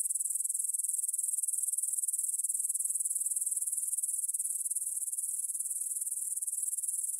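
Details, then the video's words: Grasshoppers stridulating in a meadow near the Svensky monastery in Bryansk, Russia, at 9pm on 6 September 2020, recorded in stereo on a Tascam DR-44WL; a dense, high, steady buzzing trill of rapid pulses, unbroken throughout. "Звук для сна: кузнечики на лугу – Grasshopper Sounds in the Field for a Quick Sleep"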